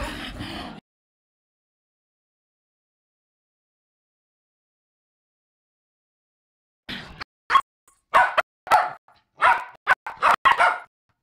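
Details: Poodles meeting again at a group reunion: after a brief noisy start and a long silence, a rapid run of short, sharp yaps and barks follows.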